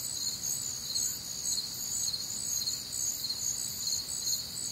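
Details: Night chorus of crickets recorded on a humid, warm summer night in the Midwest; shrill, high chirps pulse rapidly and overlap in several bands, continuous throughout with only a soft low rumble beneath.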